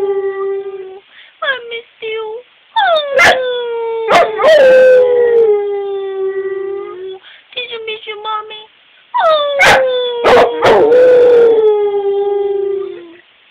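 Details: Rottweiler crying together with its owner: a string of short yelping howls building into long, gradually falling wails, repeated in two bouts, with sharp clicks and some voice-like sounds mixed in.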